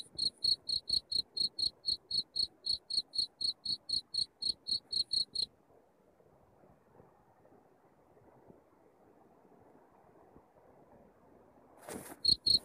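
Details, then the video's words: Cricket chirping, a masteran recording meant for driving rats out of a house: sharp high chirps pulse about four times a second for five seconds, then a low murmur, and a loud crackle before the chirps briefly return. "suara jangkrik masteran untuk ngusir tikus di rumah"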